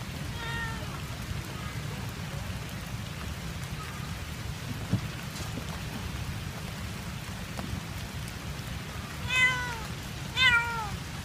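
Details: Left behind by its owner at an ice cream stall in Kebun Raya Bogor, a cat meows sadly. A faint meow opens the stretch, then a long stretch of low rumbling noise, then two loud, bright, falling meows close together near the end.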